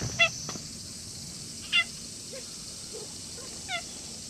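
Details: Stray cat met in the grounds of a shrine in the evening, growing friendly and affectionate; three short, clear, tonal meows about a second and a half apart, over a steady high-pitched hiss in the background.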